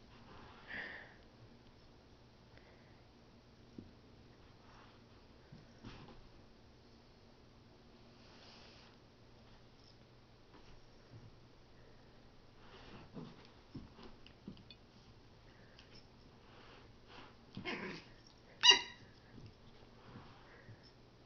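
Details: A Pomeranian called Finn sniffs in a quiet small room: faint breathy puffs come in scattered groups, building to a louder cluster of snorting sniffs near the end.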